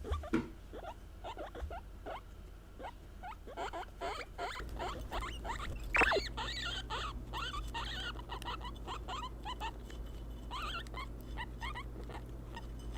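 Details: Pet guinea pigs, three females named Kurumi (Peruvian), Mitarashi (English) and Shiroppu (Teddy), calling to express emotion: a rapid series of short rising squeaks, dense and overlapping, with a steady low hum underneath.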